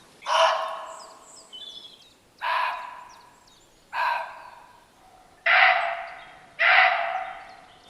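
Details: Muntjac, a small non-native deer, gives five loud, harsh, raspy barks at night at uneven gaps of one to two seconds, each short and higher pitched than other deer, with faint high chirps in the background.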